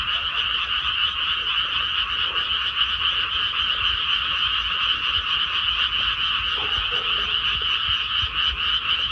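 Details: Rice paddy after transplanting, alive with a crowded frog chorus; countless rapid rasping calls blend into one even, buzzing drone in two pitch bands, holding steady for the whole stretch with a soft low hum beneath.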